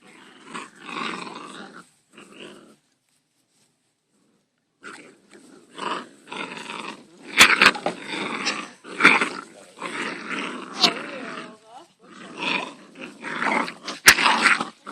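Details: Labrador Retriever puppies, five weeks old, at play in the garden: broken runs of hoarse growls and grumbles after a short silent gap, with sharp clicks and thuds from tussling.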